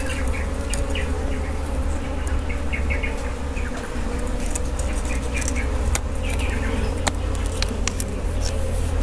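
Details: Honey bees at a wild honey harvest, a steady droning hum with low rumbling handling noise, while short bird chirps repeat in the background and sharp clicks and crackles break in now and then.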